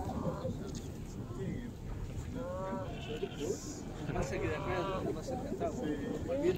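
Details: Sea lions on the Beagle Channel at Ushuaia give hoarse, Chewbacca-like groaning calls that waver in pitch over a low rumble of water and voices.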